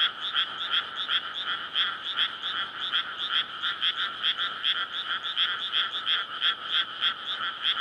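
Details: Night chorus of frogs in a flooded May rice field, their courtship calling loud enough to push the PCM recorder's limiter: harsh, pulsing croaks repeated quickly and unevenly, overlapping into a dense wall of sound.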